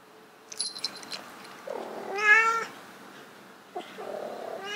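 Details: Domestic cat calling during mating attempts indoors, a rising harmonic wail near two seconds, then a second nasal meow starting near four seconds, with light tapping sounds at the start.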